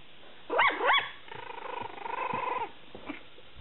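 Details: Two-week-old puppy from Sugar's fifth litter, little white Powder, barking indoors: two sharp up-and-down yelps in quick succession, then a longer wavering whine, over a quiet room hiss.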